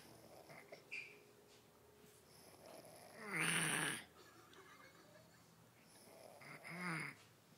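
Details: Jonathan, a sleeping kitten, snoring indoors: two breathy, rasping snores about three seconds apart, the first long and loud with a hissing, wheezy edge, the second shorter and softer, over a quiet room.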